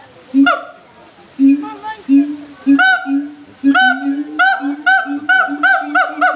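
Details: Siamangs at the Erie Zoo, loud enough to be heard throughout the zoo: a series of loud, honking barks with bright harmonics, spaced irregularly at first, then coming faster and more steadily toward the end.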